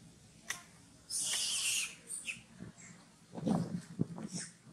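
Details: Newborn monkey Farrah, very hungry after Fauna denied milk, lets out a harsh, high squealing cry lasting under a second, then softer scattered squeaks and low rustling handling noises.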